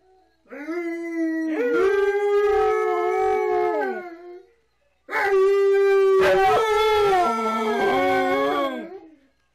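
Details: Husky dogs Tonka and Monroe howling along with K'eyush The Stunt Dog, a group sing-along: two long bouts of several voices overlapping, steady drawn-out howls that bend and dip in pitch, one voice breaking higher mid-bout.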